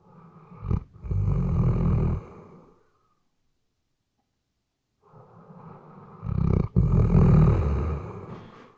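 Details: Sleeping Weimaraner snoring, captured with a RODE NTG3B microphone: two deep, rasping snore bursts of about two seconds each, separated by roughly two seconds of quiet breathing gaps.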